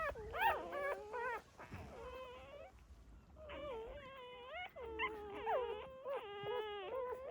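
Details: Drawn-out, steady dog whines with a rich tonal quality, several held for about a second and slightly bending at the ends, recorded where a mother dog gave birth to puppies in a secret, quiet place.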